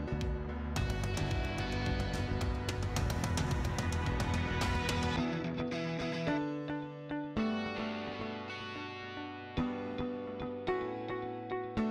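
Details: Guitar music with strummed and plucked chords fills the whole stretch, with no animal sound.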